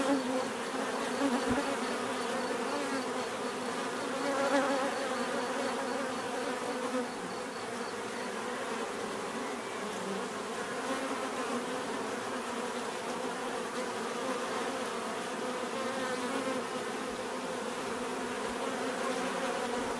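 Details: Bees buzzing steadily in a dense, continuous hum with layered low drones and shifting overtones, a few individual bees briefly louder as they pass close; no other clear sounds.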